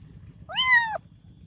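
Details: A single drawn-out kitten meow, rising quickly then holding and sliding down, about half a second long with bright harmonics, as the kitten calls for its mother; otherwise only soft low background noise.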